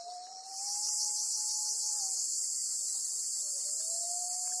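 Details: A black cicada in the grip of a golden-web spider on Amami Oshima, Japan, bursts into a sudden loud, high, rasping buzz that then holds steady, with a quieter constant tone beneath.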